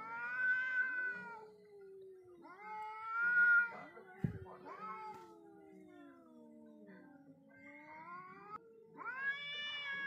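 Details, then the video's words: Two wild cats in a face-off: drawn-out, wavering yowls alternating between higher wails and lower sliding moans, with one sharp thump midway and quieter gaps between outbursts. "When wild cats face each other"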